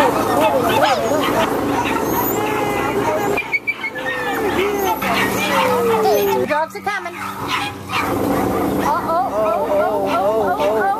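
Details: American hairless terriers at a UKC-sanctioned terrier race held by Hurricane Alley American Hairless Terrier Association on January 7, 2012, excitedly yipping and whining in quick high bursts amid cheering, encouraging voices and crowd chatter.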